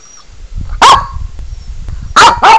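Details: Pekingese named Sebastian, worked up while animal whining videos play on a laptop indoors, gives one sharp bark followed a second later by two quick harsh barks in succession; faint high electronic whistles from the laptop run underneath.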